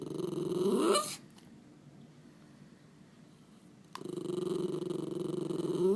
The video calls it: Miniature Schnauzer Making Cute Noises